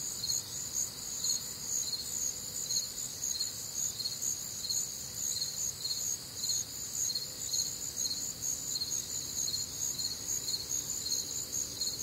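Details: Night chorus of crickets in the warm, humid Midwest summer: bright, high-pitched trilled chirps repeat evenly roughly two per second throughout, layered callers blending into a continuous shimmer with faint low background hum.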